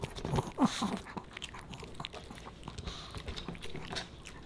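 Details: Pomeranian puppy Boba Bear chewing fish and chips indoors; soft, lower chomping bites with wet mastication, one louder bite early, steady rhythmic chewing after.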